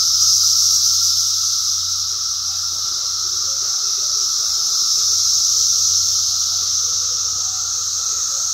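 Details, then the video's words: Cicada chorus recorded in 2021: continuous high-pitched buzzing hiss, even and sustained, with a thin lower tone and faint scattered chirps underneath. "Cicada Song 2021"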